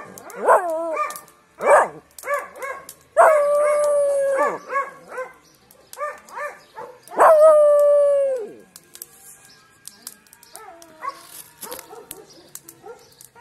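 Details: Miniature Pinscher howling like a wolf: a series of short wavering yelping howls, then two long sustained howls around three and seven seconds, followed by quieter broken yips and whines.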